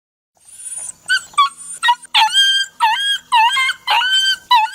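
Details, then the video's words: Dog whining and crying in a compilation of sad dog sounds: a thin high whistle, then a run of short tonal whimpers that dip and rise, each with stacked bright overtones, coming roughly twice a second. "Sonido de Perro Llorando - Incluido Cachorro llorando y lloriqueando"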